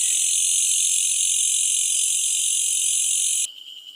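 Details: Malaysian bush cricket calling at night: an intense, continuous high-pitched buzzing hiss held steadily for over three seconds, then stopping abruptly and leaving quiet background.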